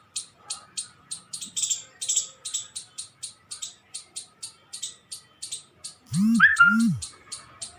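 A squirrel gives a steady series of sharp, high chips, about two or three each second.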